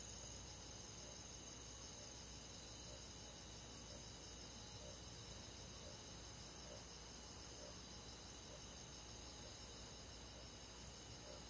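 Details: Steady high trilling of crickets and forest insects on a summer night in the countryside, many overlapping voices merging into a continuous shimmering hum that barely changes across the stretch.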